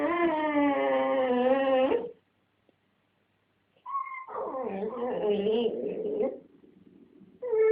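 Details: Blonde domestic dog guarding a dog chew from a red dog that wants it, producing an odd drawn-out sound: a steady harmonic howl-like moan of about two seconds, silence, then a wavering, rising and falling groaning whine.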